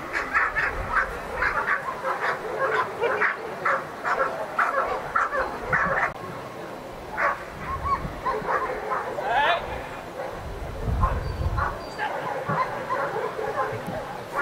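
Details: Protection phase of the NIAK 2015 trial: Ivar vom Falorie barks steadily in quick, harsh bursts through most of the clip, with a brief pause near seven seconds and low rumbling noise around eleven seconds.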